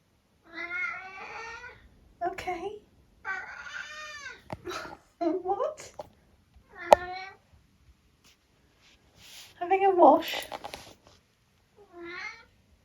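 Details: Eric, a talkative 14-year-old tabby cat in the UK, meows indoors in a run of short rising-falling calls between a person's spoken questions, as though trading replies. Several meows are long and drawn out, others brief chirps.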